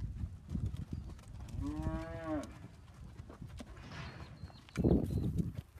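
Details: Hereford steers, one of a herd of 56, giving a single drawn-out moo that rises and falls, followed by scattered thumps and a brief loud noise near the end.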